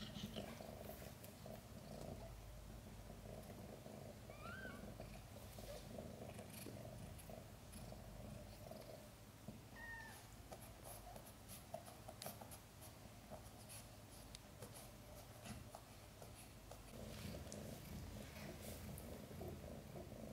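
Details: Domestic cat Chan purring while giving birth to five kittens, some arriving backwards; a continuous deep rumbling purr fills the clip, with two or three tiny high squeaks and scattered handling noises.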